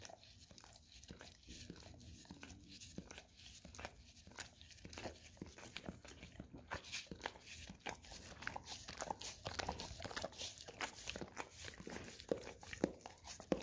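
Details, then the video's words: Golden Retriever dog licking an Orapup tongue-cleaning brush coated in peanut butter indoors: wet smacking and scraping clicks in irregular bursts, growing denser and louder in the second half. "Dog Licking Orapup Tongue Cleaning Brush - Golden Retriever"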